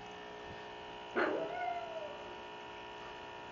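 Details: A female pug named Cupcake 'talking' to her sister with one sharp yelp that bends into a drawn-out, falling whine lasting about a second, set against a constant indoor mains hum.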